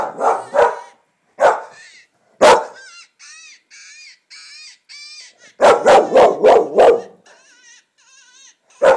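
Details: An English Springer Spaniel barks in sharp bursts, reacting to high, wavering coyote yips and howls from a coyote-hunting call video playing on a computer, apparently mistaking them for an animal.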